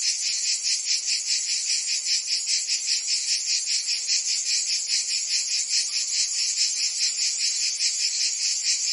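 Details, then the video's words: Cicadas in a Provence summer, France: an intense shrill whirring chorus, beating evenly in quick throbs a little over twice per second, steady from start to finish. "Cicadas singing in France (Provence)"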